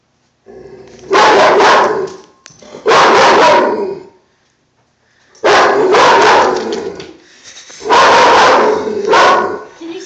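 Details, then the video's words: Dog barking at an army man poster board, four loud harsh barks in two-second bursts with pauses between, a person speaking faintly. "Dog barks at army man poster board"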